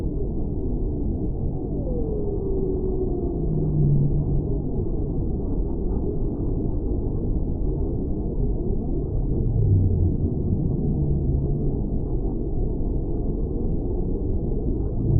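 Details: Whale sounds under water: a long, descending moan early on, followed by brief low hums a few seconds later and again near the tenth second, all within steady dull ocean rumble.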